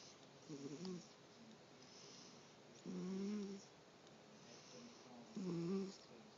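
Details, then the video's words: Domestic female cat snoring while lying awake: three low, raspy snore breaths spaced a couple of seconds apart, the later ones louder and longer, over a soft steady hiss. "Luna roncando acordada"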